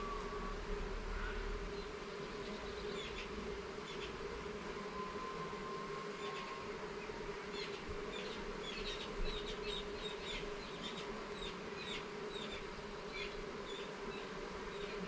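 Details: Honey bees at a garden hive during an inspection of its levels and frames: a steady, droning hum with a low harmonic beneath, unbroken throughout, with faint, brief chirps flickering high above.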